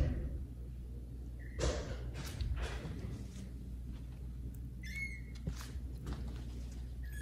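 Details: Two young kittens, Caramel and Zephyr, meow while being introduced to the household cats Kira and Daddy in a house. Short, bright meows break through now and then, with a loud knock and a continuous low indoor hum.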